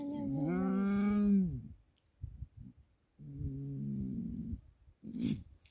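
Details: A happy female leopard gives drawn-out, tonal moaning calls with soft huffs between, in response to a familiar student's voice, while turning in circles and rolling over.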